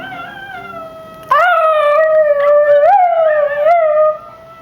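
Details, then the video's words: A male miniature schnauzer gives a sustained, fairly high-pitched howl that wavers and bends in pitch. "Izzy (miniature schnauzer) howling!!"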